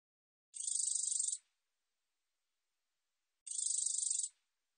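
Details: Two identical high, buzzy katydid bursts, each under a second of rapid pulses, about three seconds apart, from a 2020 National Institute of Biological Resources recording. The background is silent.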